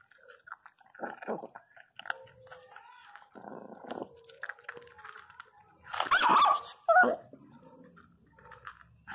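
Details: Pinscher named Teco, described as angry and crying loudly, gives two short, loud, harsh barks near the end after quieter chewing and crunching sounds, with a woman talking softly in between.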